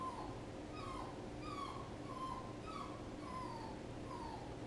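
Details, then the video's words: A puppy whines repeatedly: short, high-pitched falling whimpers come roughly every half second to second, some stretched into longer descending cries, against a constant low hum. "A puppy whining"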